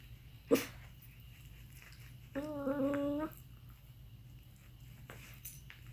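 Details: Aardvark making an unusual sound: one wavering, whine-like harmonic call lasting about a second after a short sharp click, with faint indoor background hum.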